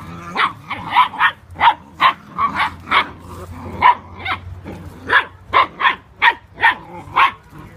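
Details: Eight-week-old Whippet puppies playing wildly, giving a run of short, sharp, high yapping barks, roughly two or three per second with uneven spacing, over a faint low background hum.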